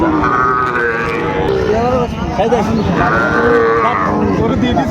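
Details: Sahiwal bull calf for sale at Raniganj market, 25 July 2024: several wavering calf bellows, one cut short and another longer, amid dense market chatter and men haggling over the price.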